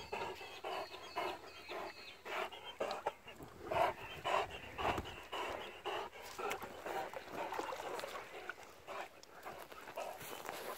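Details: A struggling Great Dane panting: breathy, hoarse bursts of breath repeated at a fast, uneven rhythm, close to two per second, with brief human speech in the background.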